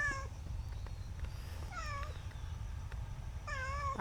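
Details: Newly adopted cat being tamed in a rural setting, begging for more food after a meal; three clear falling meows spaced about 1.5 seconds apart, ending with a sharp loud noise.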